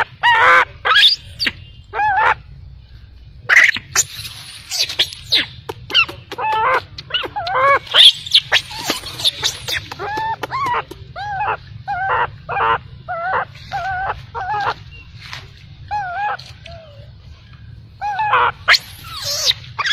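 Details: Abandoned baby macaque crying heartbreakingly: rapid series of bright, harmonic squeaks and curling whines, dense at first, then spaced calls with wavy pitch. Steady low hum runs beneath.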